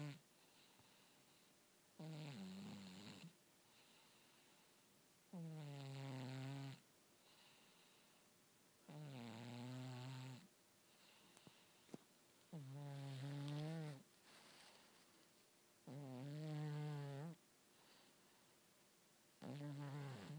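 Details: Cat snoring steadily indoors, grunting over and over; low, droning snores of about one to one and a half seconds return every three to four seconds, some wavering in pitch, with quiet gaps between.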